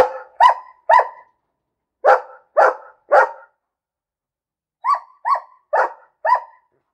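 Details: A barking dog gives bursts of two or three barks in a row, about two barks a second, with brief pauses between groups; later barks sound slightly higher and tighter, with no other sounds.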